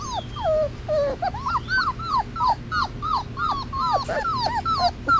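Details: Three-week-old Basset Hound puppies outdoors for the first time cry for their mother, their high, bending whines overlapping in a steady chorus.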